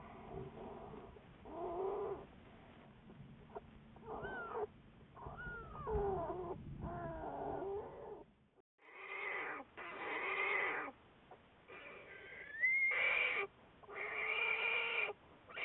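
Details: American black bear Juliet, part of Wildlife Research Institute research, February 10, 2014: wavering, whiny harmonic calls, some sliding up in pitch, then louder squalling bursts after a brief silence.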